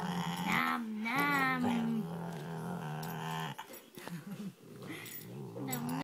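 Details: A pet dog "talking": a drawn-out, moaning whine that rises and bends in pitch for about a second, then lower grumbling, growly vocal sounds, ending with a short rising whine.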